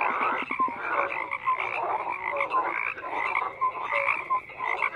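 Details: Dense chorus of frogs, rough rattling croaks overlapping steadily, punctuated by short high whistled blips and a few clicking pulses near the start, no pause in the calling.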